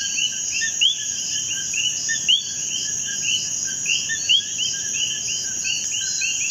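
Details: Common coquís (Eleutherodactylus coqui) in Puerto Rico, where they live in almost any humid habitat, call in a chorus, each giving a short rising two-note chirp, over a steady insect hiss.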